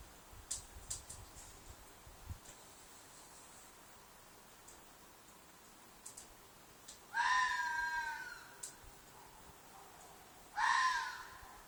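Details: A red fox in a field behind an apartment gives two loud, harsh, drawn-out screams a few seconds apart at night, a call the recordist loosely calls a shriek or mating call.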